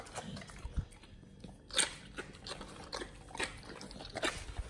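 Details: Pit Bulls eating a raw-food meal of frog legs, soft shell crab and duck feet: crunchy, sharp bites and wet crackles come in irregular bursts, with one loud crunch near the middle and softer smacking between.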